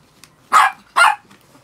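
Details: Two quick, bright barks about half a second apart from pet Chihuahuas, six of them, freshly shampooed; clean yaps with little else around.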